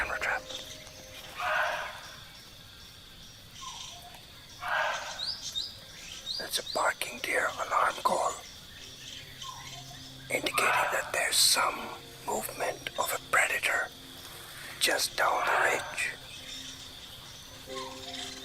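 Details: On a misty morning in a forest in India where a clouded leopard was filmed, a barking deer gives sharp, hoarse barks every few seconds, an alarm at a predator moving nearby.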